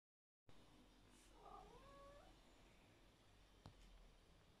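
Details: Very sleepy, tolerant cat giving a soft, drawn-out purring meow that bends and glides in pitch, over a low steady hum, with a single faint click afterward.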